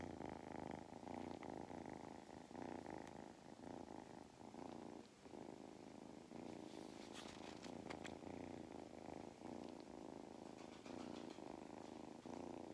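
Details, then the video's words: Domestic cat Mustard, now craving attention and belly rubs on an Irish farm in County Kilkenny, gives a rhythmic rumbling purr rising and falling with each breath, a short pause near the middle, and light handling clicks. "Mustard’s motor is in excellent condition."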